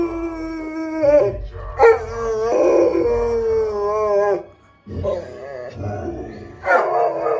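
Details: Pet dog, male, howling along indoors with its owner, who speaks an invented alien language and howls too; long sustained wavering howls with steady tones, several broken by short gaps, human howling and voice blended in throughout.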